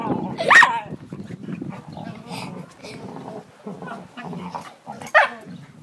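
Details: Household dogs making odd noises: a loud, piercing yelp early on and a second shrill, bending cry near the end, with low muttered human speech and soft rustling in between.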